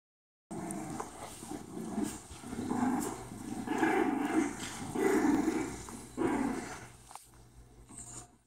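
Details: Four-week-old female English Bulldog puppy playing with its mother; low rumbling growls in bursts roughly every second, swelling and fading across the clip, with a steady low hum underneath.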